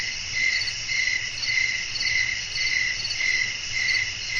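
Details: Crickets chirp at night in a natural nighttime setting with blowing wind: a steady, high trilling band pulses in bursts about every half second, layered with a fainter, higher shimmer and a low rumble of wind beneath.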